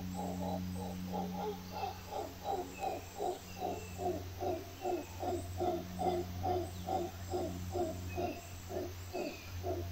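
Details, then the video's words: Howler monkey giving a steady run of rough, throaty grunts repeated about two to three times per second throughout, with a constant low droning hum underneath. "Howler Monkeys"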